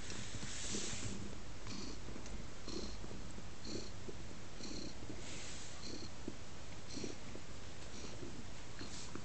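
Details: Teddy, a pet cat snuggling on a lap, purrs continuously in a deep, even rumble that swells and eases with each breath, roughly once a second, with light rustling in a small room.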